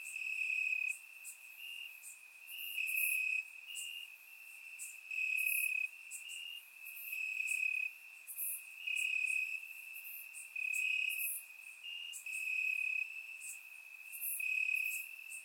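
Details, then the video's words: Night chorus of crickets in grass, Bulgaria, warm summer night: a continuous high-pitched trill overlaid by rhythmic chirp bursts arriving roughly every second or two, rising and falling in loudness. "Cricket Sounds - Crickets Chirping at Night"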